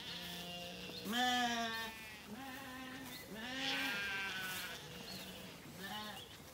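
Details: Zwartbles lambs settled after weaning, wandering in an evening orchard on a County Kilkenny farm, Ireland. Four or five drawn-out, wavering bleats, rich in harmonics, come at irregular gaps from several lambs.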